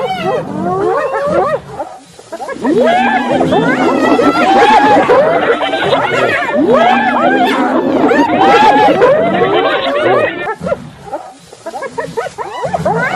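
Several hyenas give overlapping giggling laughs and swooping, rising and falling whoops in a dense chorus.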